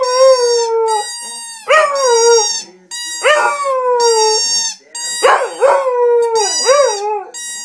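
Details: Pet Cocker Spaniel singing a run of about five howls, one roughly every one and a half seconds. Each opens with a sharp rising yelp, then slides down into a held, mournful tone.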